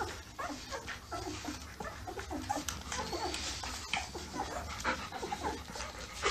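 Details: Nursing newborn Labrador Retriever puppies: continuous overlapping thin whimpers and little squeaks with wet suckling noises, backed by a constant low droning hum.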